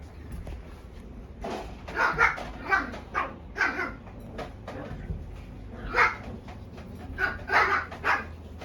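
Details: Young female Shiba Inu of small mame-shiba size giving short, high yelping barks in loose clusters, about eight over nine seconds, over a steady low background hum.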